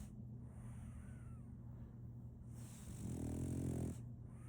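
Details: One long, harsh, vibrating snore from Solaimy, a sleeping female French Bulldog puppy, follows a quiet breathy stretch. A faint steady hum lies beneath.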